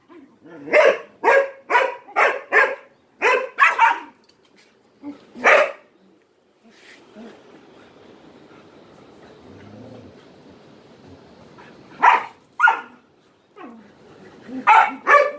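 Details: Barking dog seeking attention while playing with three Malinois; a quick series of sharp barks, a lull with low rumbling background noise, then further barks at the end.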